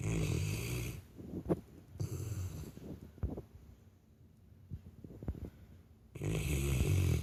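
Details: Asleep, a Labrador Retriever snores humanlike: a harsh, rattling rumble opens and closes the stretch, a shorter snore comes in between, and quieter wheezy breaths and small clicks fill the gaps.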